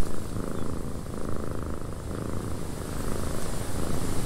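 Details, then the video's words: A cat purrs in a cabin while wind blows: a close, low, vibrating rumble with quick regular pulses that keeps going without pause, backed by a gentle wind hiss. "Cat Purring in a Windy Cabin"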